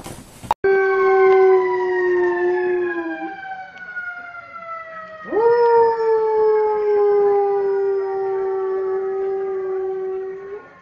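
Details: German Shorthaired Pointer howling: a long, steady tone that sinks slowly, breaks off, then returns with a sudden upward scoop into a second sustained, gently falling howl.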